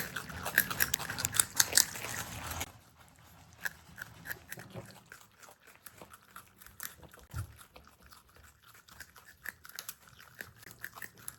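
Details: Pet marmot brothers, from a household of Himalayan and Alpine marmots, chew food with loud, dry crunching at first that gives way to softer, scattered clicks.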